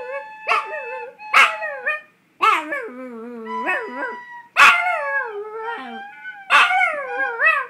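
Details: Pet Chihuahua howling to a recorder, giving repeated wavering, falling howls about every second or two, each starting with a sharp yip-like attack, one long sustained low quavering note in the middle, and a steady held tone running beneath.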